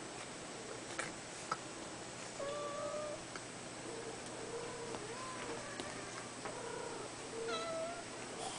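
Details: Red Abyssinian kitten, a five-week-old male, mewing indoors: short thin high meows, some rising then falling, given singly and in small bursts around the middle and near the end, with low room hum beneath.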